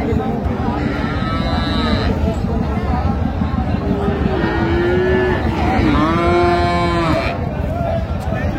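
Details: At Raniganj market in Dinajpur, June 26, 2025, among cows with calves: after a short early lowing, two drawn-out moos follow midway, the second sliding up then down, against crowd chatter and speech.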